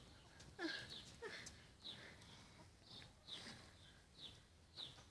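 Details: Four-week-old Yorkshire Terrier puppies giving high, thin squeaks and whines, short bursts spaced roughly every half second to second, some sliding downward, over a quiet indoor background.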